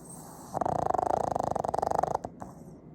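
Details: Fujiko, a two-year-old pet pug, snoring heavily, captured on an iPhone 15: a loud, rapid fluttering rattle lasting about a second and a half, dense and vibrating, then fading into quiet room noise.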